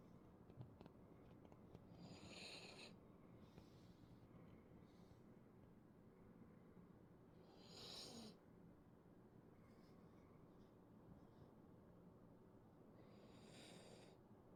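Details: Poodle snoring so much like a person that it is mistaken for human snoring: soft, breathy, hissing snores come in bursts roughly every five to six seconds over a low, steady background rumble.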